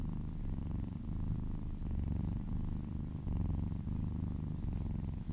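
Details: Little female kitten purring loudly while massaged and licking her way down a person's arm: a deep, rhythmic rumble in pulsing breath-length cycles, each lasting about a second.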